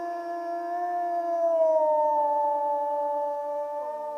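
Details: Wolf howling: one long, steady, richly harmonic note that sags slightly in pitch past the midpoint, then holds level until a brief downward slide in the last half second. No other sounds intrude.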